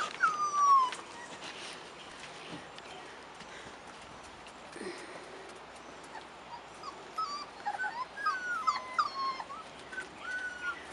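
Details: Rottweiler puppies, 4.5 weeks old, outside for the first time, giving thin, high, wavering whimpers, one clear at the start, then a cluster of short rising and falling squeaks later on, over a steady outdoor hiss.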